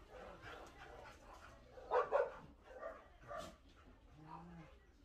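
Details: Puppy at a private animal shelter in Ulsan, South Korea, with a bad habit of tipping over its food bowl; a couple of short, sharp barks near the middle, a softer yip later, and faint voices and low murmur underneath.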